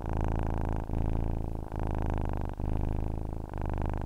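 A domestic cat purrs steadily, a low rumbling vibration with brief pauses for breath.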